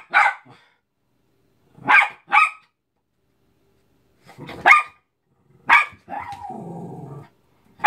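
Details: Cairn Terrier attacking a Mickey balloon: sharp, harsh barks come singly and in quick pairs with gaps of a second or more, about five in all, closing with a low, rumbling growl lasting about a second.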